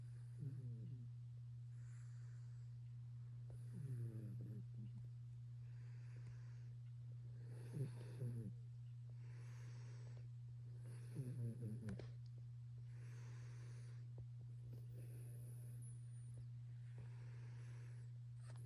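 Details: A Maine Coon cat snores in slow, rattling breaths about every four seconds over a steady low hum.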